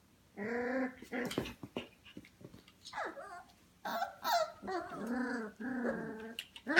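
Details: Goldendoodle puppies, F1 litter, 25 days old, at home around 11pm, letting out harmonic whines and whimpers with small growls and yips, several overlapping bursts with short quiet gaps between.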